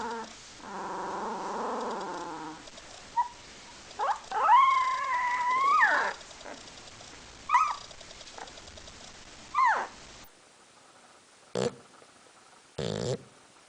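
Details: Domestic dog giving a long wavering howl that swells and bends in pitch for about two seconds, followed by shorter rising whines; a buzzy harmonic tone opens the passage and a few sharp knocks come near the end.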